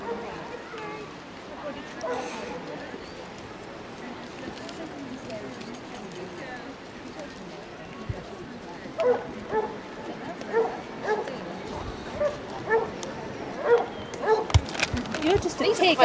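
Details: Basset Hounds, part of a group of 37 on a four-mile walk along Exmouth beach, their 91st outing; murmuring voices and beach noise at first, then a loose run of deep, ringing barks building through the second half.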